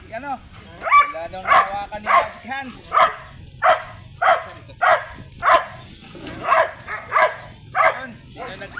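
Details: Belgian Malinois with a grey sable coat, filmed at a stud service in Bisal, Manaoag, Pangasinan: a loud, regular series of rough barks spaced roughly half a second apart, a few higher yelps at the start, murmur of people behind.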